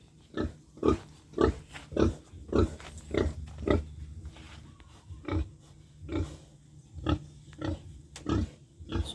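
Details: Grunting pig in a backyard pen, a female raised to become a sow: about fourteen short, low, husky grunts come in an uneven series, roughly two per second, then spread out, over faint background murmur.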